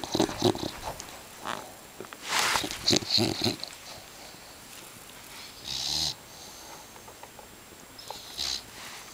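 An English bulldog snores heavily, each breath a harsh, hissing rattle that swells and fades. The noisy snorts repeat about every three seconds, with softer snuffles and clicks between them.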